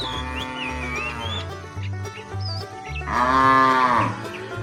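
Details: Tame herd cows on their way to fresh pasture; high whistled chirps and a low hum open the scene, then one loud, rich moo rises and fades near the end.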